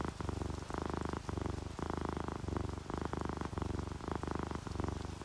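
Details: Sleeping domestic cats, an orange tabby and a calico, purring while relaxed; steady low rumbling purr in even pulses of roughly half a second, alternating strong and softer phases, with a faint hiss of rain behind.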